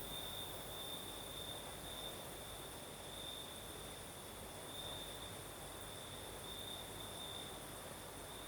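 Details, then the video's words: Crimean crickets sing through the southern night amid a gentle breeze; a continuous high trill swells in short brighter bursts, a faint higher shimmer sits above, and a wash of wind noise fills the background. "Сверчки поют"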